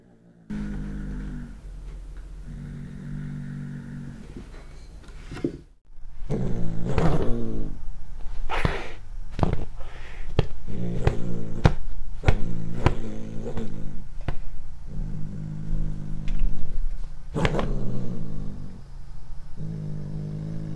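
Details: Cat eating corn for the first time, filmed on a Panasonic GH5. Soft, low growls come in short spells between rapid crunching and chewing clicks, several bites every few seconds.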